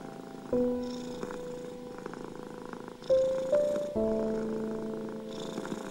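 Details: Continuous domestic cat purring, a low grainy drone with regular breathy swells, accompanied by soft sustained piano notes in deep soothing music for anxious, ill and stressed cats.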